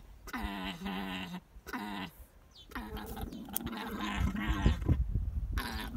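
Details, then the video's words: Noisy alpaca making buzzy, nasal groaning calls, two drawn-out bursts followed by a longer, rougher stretch mixed with low thumping and rustling sounds. "Noisy Alpaca"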